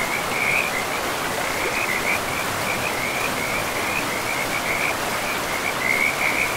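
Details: Chorus of frogs along a river in a moss-covered pristine forest, giving fast high-pitched trills in overlapping bursts throughout, with the steady rush of the stream beneath.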